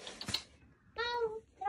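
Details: Rescued weak kittens, found leaning on each other on the way home from a family funeral: after a short burst of voices comes a single steady, flat, harmonic meow lasting about half a second, then another call begins at the end.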